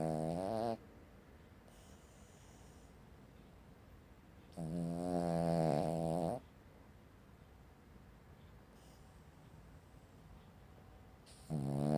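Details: Sleeping Cavalier King Charles Spaniel dog snoring like a chainsaw, with rough, buzzy drawn-out snores lasting one to two seconds and long quiet gaps between them.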